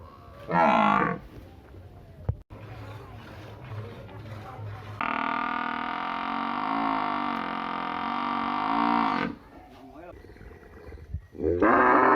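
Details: Village cow or buffalo gives a long, steady, harmonic low moo of about four seconds, with a slight wavering in pitch. Shorter bursts of other sound come before and after it, and background noise runs underneath.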